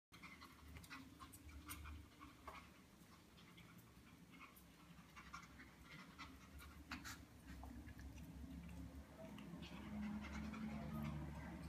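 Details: Yorkshire Terrier just after grooming, panting: soft, breathy, quick bursts about three per second, quiet and fairly steady, growing slightly louder toward the end over a low room hum.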